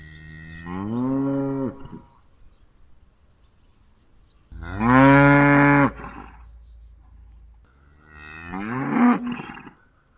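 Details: Domestic cow mooing: three long, harmonic-rich moos, each rising then holding steady for one to two seconds, separated by quiet gaps, with a faint low rumble beneath.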